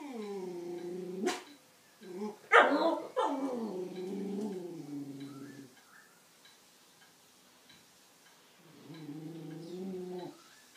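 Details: A Jack Russell and beagle cross, tail wagging fast, barks excitedly at a purebred beagle down the road: long, wavering bays and a sharp yelp, then a lower, moaning whine.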